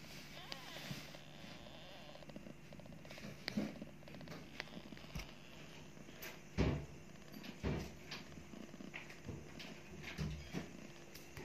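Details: Purring from a mother cat nursing her two newly born kittens, a low even drone beneath frequent sharp clicks, knocks and rustling movements, with a couple of louder thumps midway.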